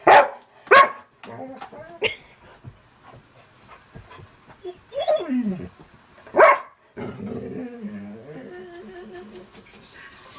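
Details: Pet dog barking indoors while watching cat videos, sharp loud barks near the start and another around six seconds, separated by quieter whimpers, with a person talking throughout.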